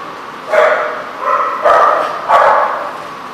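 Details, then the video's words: Dog barking at a dog-care lot, recorded on 17 March 2014: three short, hoarse barks about a second apart, the last rising sharply, with faint background hum. "The Barking Lot"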